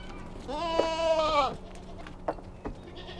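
A goat gives one loud, wavering, nasal bleat lasting about a second, followed by a couple of soft knocks.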